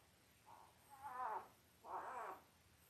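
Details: Five-day-old Labrador Retriever puppies from a litter of eight, five males and three females, born October 15, 2023; two drawn-out, wavering whines around one second each, harmonic-rich and slightly falling, separated by a short pause over quiet room hiss.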